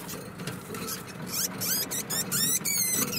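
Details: Four-month-old female degu calling to its mother: rapid series of high, sweeping squeaks in bursts, with a steady low hum and some rustling underneath.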